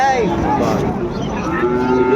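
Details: Sahiwal cattle at Ambari cattle market, Dinajpur, Bangladesh, on a Monday in November 2024 as trading begins; drawn-out, level lowing moos overlap one another beneath steady chatter from buyers and sellers.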